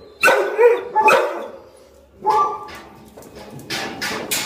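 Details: Golden retrievers said to bark and growl aggressively when food bowls are picked up. A few loud barks sound near the start, a pause follows, then more barking and a whimpering note toward the end.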